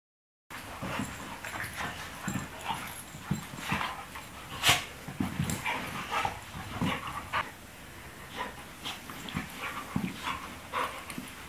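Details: Two dogs wrestling playfully indoors, having fun: a busy mix of short scuffling thumps, panting and brief growly or yelping bursts, with one sharp louder yelp near the middle and steady rustling throughout.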